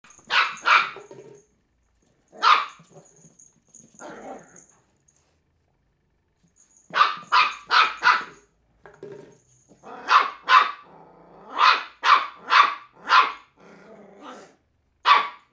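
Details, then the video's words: Willow, a three-month-old female Cairn Terrier puppy, barking while playing with an empty bottle: sharp, high yaps in quick clusters of two to four, separated by short silences, with faint softer grumbles between the bursts. "cairn terrier pup versus empty bottle."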